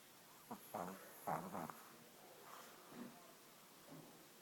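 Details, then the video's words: Pug snoring, faint rasping breaths in a few short bursts, strongest early on then fading to soft snorts, under a steady background hiss. "Pug roncando"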